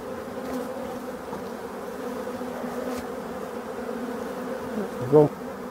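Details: European dark bees in a restored abandoned hive, producing a continuous low, level buzzing hum that barely changes, ending with a short louder knock or voice just past five seconds.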